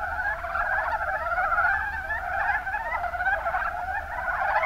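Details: Mountain brown frogs, Rana ornativentris, from the Kuma Basin in Kumamoto, Japan, in full chorus. Dense, rolling croaks overlap without pause, forming an even, gobbling murmur throughout.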